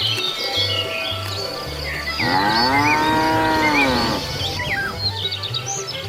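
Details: Cows wandering leisurely along a road looking for food; one long, smooth moo of about two seconds rises slightly and falls, with chirping birds and a steady insect buzz behind it.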